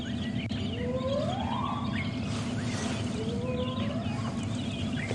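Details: Wild spotted hyena at sunrise on a January 2016 morning safari drive, near cubs, giving whooping contact calls: two smooth rising whoops, the first longer and climbing higher, over constant low engine hum and scattered high bird chirps.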